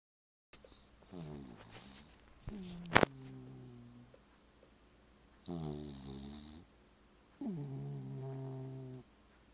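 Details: Marvey, a sleeping pet dog, snores in long drawn rasping breaths, each lasting one to two seconds and returning about every two to three seconds, with a television playing quietly in the room.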